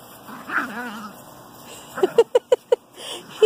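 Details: Eight-week-old Great Pyrenees puppy being accepted into the pack: one wavering whine, then five short, even yips in quick succession, with faint background voices.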